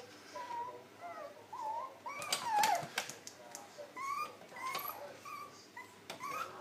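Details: Lhasa Apso named Paddy, indoors in a small room, gives a string of thin, high whines that rise and fall in short slurred notes, while a man's voice keeps coaxing him with "come on, lad" over the top.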